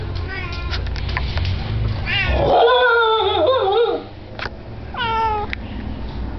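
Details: Kitsune, a female Shiba Inu, doing her Shiba yodel: short wavering harmonic yelps, then a long drawn-out warbling howl with slides up and down, followed by a few brief rising whines.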